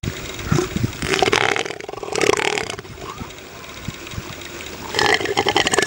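Elephant seal giving deep, rough, pulsed bellows in three bursts, each a rapid train of harsh, knocking throbs with a mechanical rattle; faint wind or surf between.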